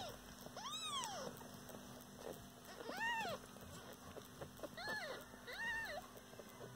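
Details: Domestic cat mother with her kittens: four high, arched meows, each rising then falling, spaced irregularly over about six seconds, over a steady electrical hum and faint background voices.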